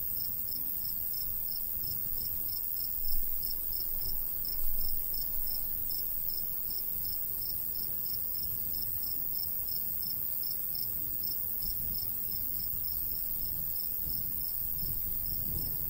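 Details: Crickets chirping in summer countryside beside a golden wheat field, a steady train of high, thin pulses about twice a second, over a low rumble of light breeze with a couple of brief gusts.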